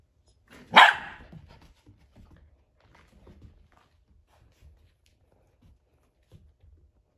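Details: Poodle puppy boy named Eric, with puppies playing: a single sharp, loud bark near the start, followed by quiet shuffling, faint scrapes and soft thumps for the rest of the stretch.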